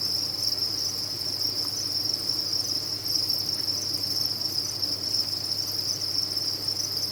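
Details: Many farmed crickets sound at once, producing a bright, continuous high trill with slight flickers in intensity and a low, steady hum below.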